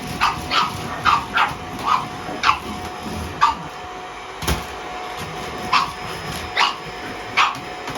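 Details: Pug puppy threatening a vacuum cleaner: a series of short, sharp, high yapping barks, about a dozen in eight seconds at irregular intervals, with a steady electrical hum behind.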